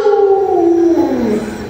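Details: Alaskan Malamute named Luoluo, a pet playing hide and seek with its owner, gives a steady, drawn-out howling tone that slides gently lower toward the end.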